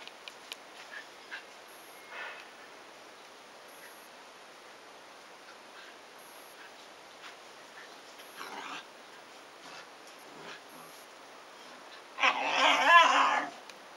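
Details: Shiba Inu puppies at 100 days old, siblings wrestling vigorously while the mother dog steps in when play gets too excited; mostly quiet rustling and soft taps, then a loud, harsh, rough vocal burst lasting about two seconds near the end.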